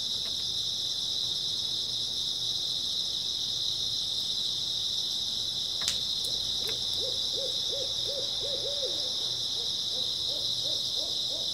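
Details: Grass insects chirping on an early autumn night: a dense, steady high-pitched trill rings without pause throughout, while a series of short, low hooting notes repeats in quick succession through the second half.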